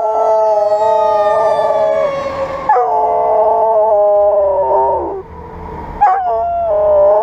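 A Dutch Shepherd howls in long, steady, wavering tones, joining in with a passing fire engine siren.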